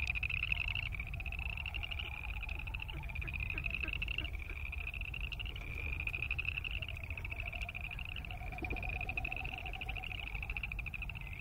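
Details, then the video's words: A chorus of boreal chorus frogs gives continuous rasping, pulsed trills that overlap one another. A fainter low pulsing sound comes and goes underneath over a steady background hum. "Boreal Chorus Frog sound"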